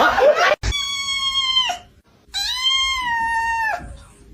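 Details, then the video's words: Cat meowing indoors: two long, drawn-out, strained meows of about a second each, separated by a short pause, steady in pitch then dropping at the end, opened by a brief burst of voices and a sharp click. "kitten meowing"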